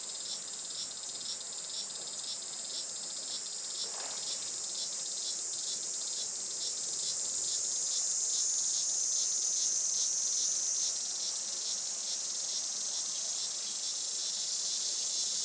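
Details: Japanese summer cicada chorus recorded at a traditional farm in Saitama on a sunny July morning, about 11:30 am; a continuous shrill high drone carries rapid, regular pulsing notes beneath it, with one brief low rustle near four seconds.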